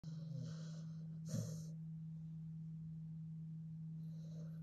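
A Staffordshire Bull Terrier snores in soft, raspy breaths over a steady low hum.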